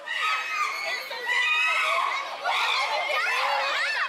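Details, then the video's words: Captive chimpanzees in an uproar, Tama Zoological Park, June 2022: a continuous chorus of high, strained screams and wavering hoots from several animals, growing louder after the first second and staying intense throughout. "The chimpanzees are in an uproar."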